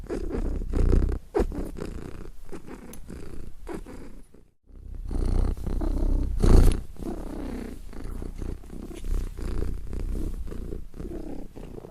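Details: Steady low purring from a cat, pulsing with each breath, broken by a short silent pause near the middle before the rumble resumes and swells.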